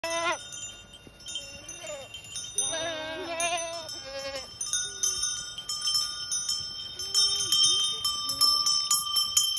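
Goats bleat in wavering, nasal cries over a steady jangle of ringing bells.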